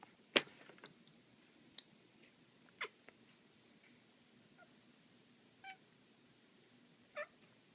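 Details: Black female house cat playing with a laser pointer indoors, giving short, faint chirping calls near the end, two brief rising chirps about 1.5 seconds apart, after a sharp click and scattered soft taps in a quiet room.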